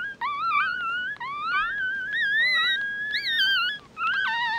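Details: Newborn mixed-breed puppies, eyes still shut, give long, drawn-out, sliding whines that climb slowly and waver, nearly unbroken, with a second higher voice joining toward the end.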